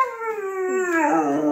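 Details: Siberian Husky Baikal, asking to be let outside, holds one long harmonic howl that drifts slowly downward, clear and steady, with rich overtones throughout.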